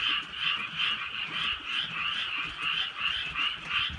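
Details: Frogs calling on a drizzly rainy night in the countryside: a dense chorus of raspy, trilling croaks that swells and fades about three times a second, with faint rain patter underneath.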